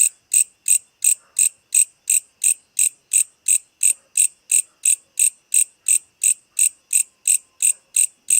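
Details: Insect. A night insect calls in crisp, high-pitched chirps, each a short buzzy pulse. The chirps come in a steady, even rhythm, roughly three per second, with quiet gaps between.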